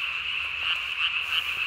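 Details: At night on 3 May 2020, a Japanese tree frog calls with its single throat vocal sac swollen to body size; continuous shrill, pulsing trill at constant pitch, unbroken across the clip.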